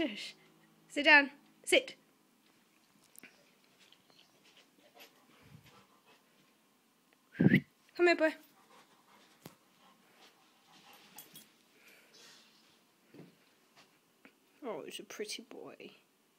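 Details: A male Rottweiler gives short, wavering howls in bursts, howling back at its owner, with a person talking between them; Rottweiler.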